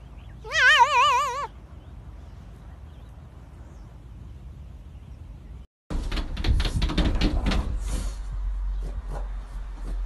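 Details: A pet cat lets out a single wobbling, vibrato meow lasting about a second, followed by several seconds of quiet room hum and then loud rustling and clattering.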